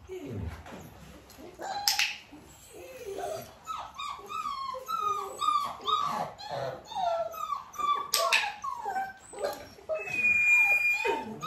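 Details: Nearly six-week-old Dalmatian puppies during clicker training with their mother nearby, giving a busy run of high, whiny yelps and squeaks with rising and falling pitch, repeated rapidly, with a few sharp clicks and faint human voice.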